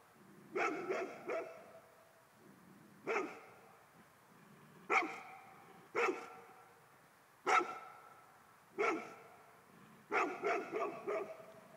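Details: A ghost sets off a Golden Retriever: loud, sharp barks come every second or so, some doubled, ending in a rapid burst of four.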